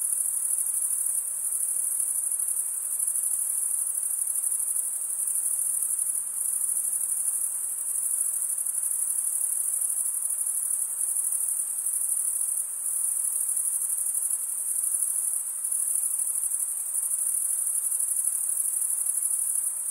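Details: Male crickets chirping through stridulation of their wings. A continuous shrill trill carries steadily for twenty seconds, gently throbbing in intensity every few seconds, with only soft background hiss.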